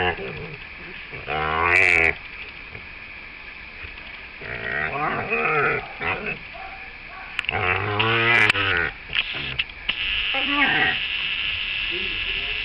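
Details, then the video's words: Female dog making odd noises while someone plays with her: drawn-out, wavering, moaning vocal bursts with rich harmonics, rising and falling in pitch, coming in four bouts with quiet gaps and a steady background hiss. "playing dog making funny noises!"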